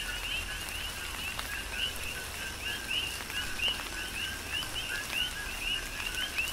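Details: Coqui frogs calling during tropical rain on the Big Island of Hawaii: many overlapping two-note chirps, a lower note jumping to a higher one, repeated steadily, over constant rain hiss and scattered raindrop taps.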